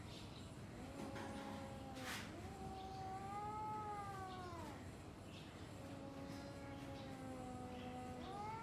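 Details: Domestic cats growling and yowling at each other before fighting: long wavering moans rising and falling, several in a row with brief gaps, over steady low background noise and a short sharp click.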